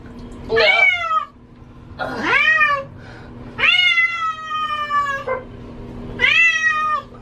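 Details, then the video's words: Pet cat, female, crying while being given a bath she hates; four long wailing meows with rich harmonics, the third held for over a second, and a low hum in the background. "Cat sounds like she is saying Help Me"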